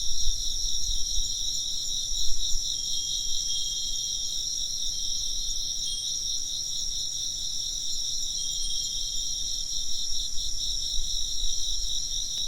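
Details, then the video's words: Steady insect chirping fills the scene: a shrill, rapidly pulsing trill holding evenly for the whole stretch, with a muffled low rumble beneath and only a couple of faint chime tinkles. "風鈴の音と虫の声 - wind chimes and chirping insects"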